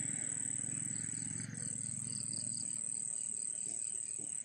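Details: At night beside a harvested rice field next to a salak plantation in Indonesia, under cloudy skies with wind, crickets sing a high, steady, ringing trill over a low background rumble.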